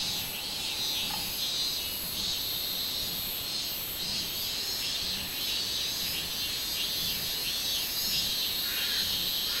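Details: Robust cicada (minminzemi) singing on 24 July 2016: a dense, high buzzing chorus with rhythmic pulses repeating about every two-thirds of a second, steady throughout, with a brief faint lower tone near the start.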